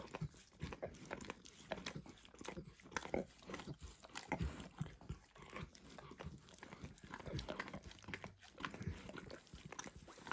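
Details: A dog licking a bumpy orange lick mat smeared with eggs, then diluted peanut oil, no talking: dense wet lapping and smacking clicks in rapid irregular succession, with soft tongue slurps throughout.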